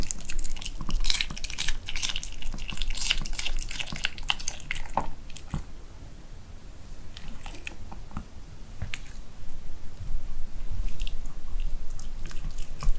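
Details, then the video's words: Seol, a pet dog, eating homemade dog-safe kimchi of napa cabbage and vegetables wrapped with Korean beef shank, indoors in a small room: wet, irregular crunching and biting with clicks and squishes, louder at first then easing off. "ASMR MUKBANG 막 담근 김장 김치에 한우 수육 보쌈해 먹는 강아지 먹방"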